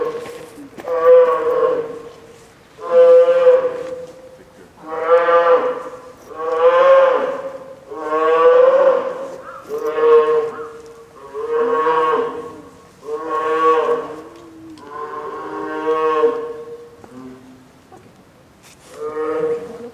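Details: Hungry, fussing female polar bear cub, nine months old, in Sapporo's Maruyama Zoo, 2 October 2015, late morning in typhoon storm, growing louder after being scolded by her mother; about ten long moaning wails, roughly every two seconds.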